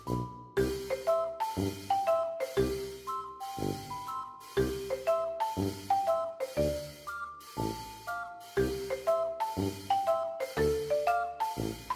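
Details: Looping marimba-style melody over a steady percussion beat at about two beats per second; no animal sound.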